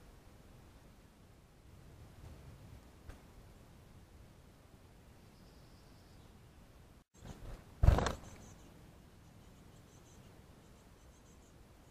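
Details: Only a low background rumble, a brief dropout, and one sharp knock or handling thump near the end; no clear animal sound.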